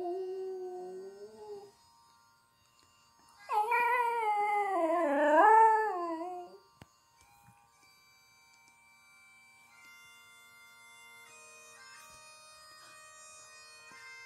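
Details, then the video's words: A Border Terrier sings along to bagpipes of the Edinburgh Tattoo. It gives a short steady howl, then a longer, louder, wavering howl that rises and falls over about three seconds. Faint sustained bagpipe tones follow afterward. "Border Terrier Singing"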